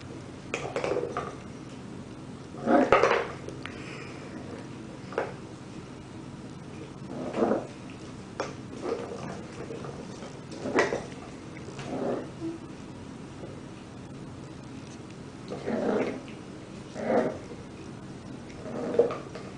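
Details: Corgis, small dogs, giving short yelping barks in bursts roughly every one to two seconds, with some clattering indoors between calls.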